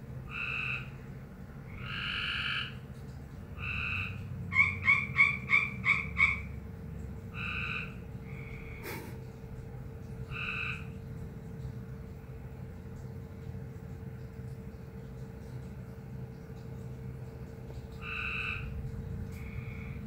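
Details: Frog giving an odd call, short buzzy two-toned notes in irregular groups, plus a quick run of five sharp pulsed notes, over constant low hum and background rumble.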